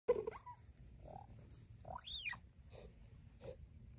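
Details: Cheetah mother and cub vocalizing: faint short mid-pitched chirps spaced about half a second to a second apart, with one louder high arching chirp that sweeps up and falls again, over a quiet low background rumble.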